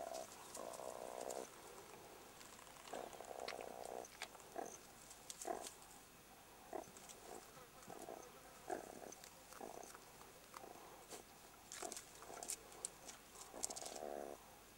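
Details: Young jackals in their burrow, harassed by an attacking meerkat: rough, buzzy growling bursts of about a second each, some longer, others clipped short, repeated irregularly, with sharp clicks and scuffling between them.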